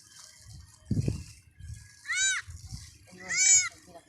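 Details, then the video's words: Two high, arching cries from a newborn goat kid, each rising then falling and lasting under half a second, about a second apart. A short low voice comes just before them. "Bagong Panganak na Kambing"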